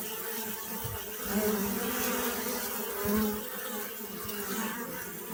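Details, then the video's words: Steady bee buzzing, a low droning hum that swells slightly twice, over continuous background hiss. "أصوات النحل . صوت النحل.طنين النحل.Bee Sound Effect"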